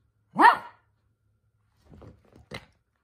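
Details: A single loud, sharp bark from Toy Poodle Minato as he gets carried away making noise, followed by faint scuffling and a quieter short bark.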